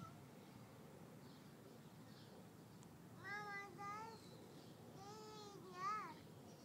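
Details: A cat meows twice in quick succession, the calls bending upward and then falling, with the second ending in a brief higher rise. A faint low background rumble runs underneath.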